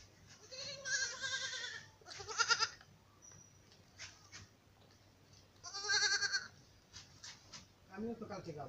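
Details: Black Bengal goat on a farm in Bangladesh, giving several loud wavering bleats with strongly quavering tones, two close together early, another midway and a lower one at the end; people talk in between.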